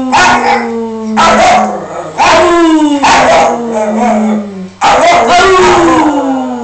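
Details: Miniature Dachshund giving long, drawn-out falling whines and howls, broken by sharp noisy yips every second or two, recorded indoors on a phone.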